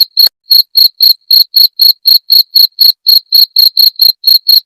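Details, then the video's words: Cricket sound meant for driving away rats. A brief click opens the clip, then sharp, shrill chirps repeat steadily at roughly four per second, each pulse clean and ringing, with nothing else audible. "Suara Jangkrik pengusir tikus"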